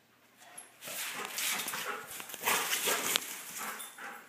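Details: Big and little dogs wrestling in rough play; loud, harsh, continuous growling and scuffling noise rises quickly and stays strong, with brief peaks throughout.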